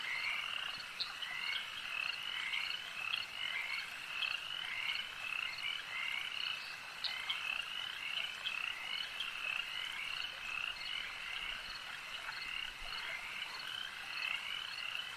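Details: A long stretch of frog chorus at a lakeside, countless croaking voices overlapping in a steady rattling drone, punctuated by occasional sharper clicks and chirps, evenly loud throughout.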